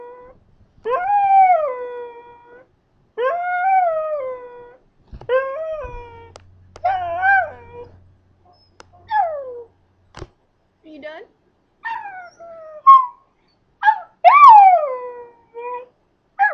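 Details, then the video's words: Scottish Terrier kept as a pet howls on cue after teasing: a run of short wavering howls, each about a second long, bending up then falling, with brief whines and yips in between. "Duff Sings the Blues"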